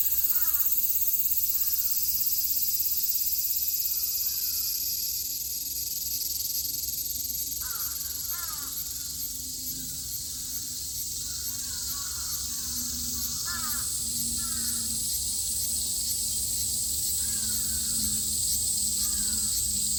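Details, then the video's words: ['Cicadas in a Japanese summer, 2022, produce an unbroken high metallic hiss while a bird repeats short sharp chirping phrases in bursts and a low hum runs beneath.'] "Sounds of the cicada [ Japan in summer ] セミの声"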